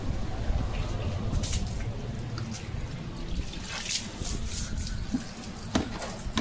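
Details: Running tap water and splashing during a dog's bath, with scattered drips and bumps, and no animal sound heard.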